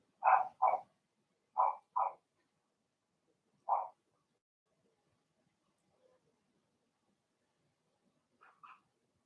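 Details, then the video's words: Young Blenheim Cavalier King Charles Spaniels barking in their puppy pen: paired quick yaps, another pair, a lone bark, then quiet before two faint yips at the end. "Cavalier Puppies Bark, Howl, and POOP"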